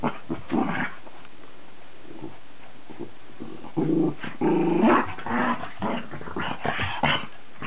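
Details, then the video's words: Charlie the Cavalier King Charles Spaniel and Billy the Cairn Terrier in a mock fight: bursts of rough growling separated by pauses, a drawn-out whining growl around the middle, then scuffling snarls. "Charlie and Billy at Dog war"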